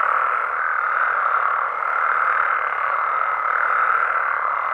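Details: Frogs and toads calling at night in Mexican amphibian habitat: a dense, unbroken chorus of overlapping croaks forming a steady mid-pitched wall of sound, with a faint higher thin tone near the top.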